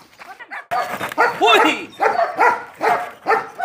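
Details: Fourteen-month-old DDR-line German Shepherd from France during beginner defence work with a helper, progressing from jute rag to initiation sleeve. After a brief quiet start, loud harmonic barks repeat about twice a second.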